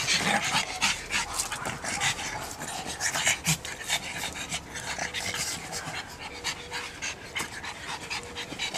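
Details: A pet pug panting rapidly and steadily, a continuous train of breathy, rasping huffs filling the clip with airy hiss and no pause.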